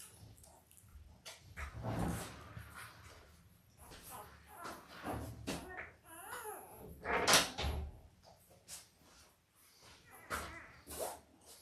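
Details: Five-day-old Labrador Retriever puppies, a litter of five males and three females born October 15, 2023 to their mother Belle, indoors on a live puppy cam. Short, wavering, high squeaky whimpers rise midway among rustling, bumps and handling noise.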